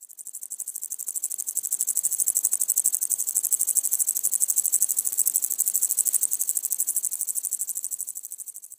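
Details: Upland green bush-cricket singing: a continuous, very high, rapidly pulsed buzzing, dozens of pulses per second, swelling in loudness over the first two seconds and easing slightly toward the end, with no other sounds.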